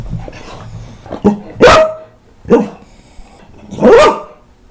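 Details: Rescued senior Staffordshire Bull Terrier mix barking loudly during a lemon taste test; three strong, separate barks spaced about a second or more apart, with a softer yelp before them and a quiet room behind.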